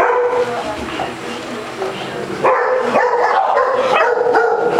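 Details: Playful Basset Hound at a day care in Las Vegas, Nevada, romping with a ball; after a quieter start, strident yelping barks and baying calls follow in rapid, uneven succession over a steady indoor hum.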